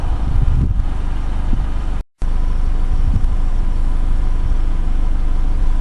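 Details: Only the low, steady rumble of passing traffic and engines is heard, with a brief gap of silence midway and no animal calls.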